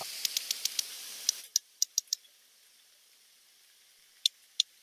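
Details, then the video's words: Two sperm whales exchange codas, patterned series of sharp clicks, alternating and then calling simultaneously at the end, a duet-like exchange thought to relate to social bonds; faint hiss in background. "I'm going to play some now, and I hope you can hear them. This is two sperm whales communicating with each other."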